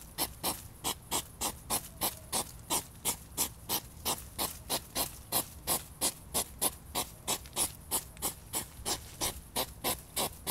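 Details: Mating European hedgehogs in a tussle give a long run of short snorting puffs, roughly three each second, fairly even in spacing and loudness, over a quiet low background hum.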